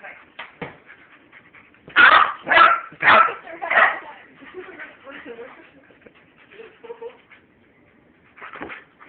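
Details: Puppy playing with a husky indoors, recorded on a phone: a cluster of loud, sharp barks and yelps around the middle, then softer whimpering yips, with human voices talking throughout.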